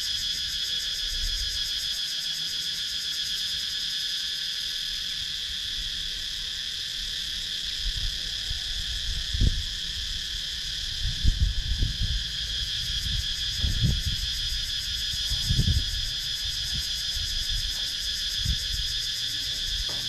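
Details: Cicadas calling in wooded countryside of Sakon Nakhon, Thailand, captured on a GoPro Hero 9: a steady, unbroken high drone in stacked bands, with scattered low thumps and rustles in the second half.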